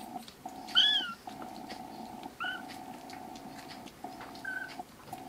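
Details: Thin, high-pitched mews from foster kittens rescued and kept indoors, about four brief rising-then-falling cries spaced roughly a second apart, with a constant droning tonal background underneath.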